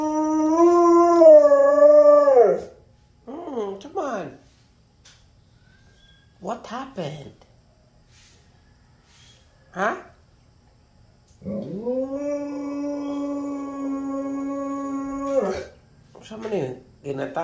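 A husky 'talks' in long, wavering, howl-like moans broken by short yips and grumbles.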